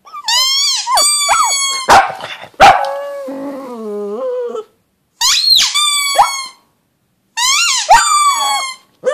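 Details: A pug howls with rising yelps that settle into whining tones, then a longer howl sinks into a lower, wavering moan lasting about two seconds; two more short rising howls follow after pauses.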